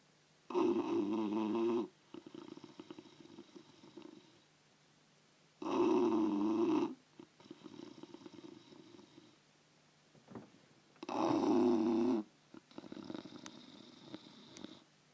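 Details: A sleeping bulldog snoring: three loud, rough, buzzing inhalations, each lasting about a second, roughly every five seconds, with softer wheezy, crackling exhalations between them.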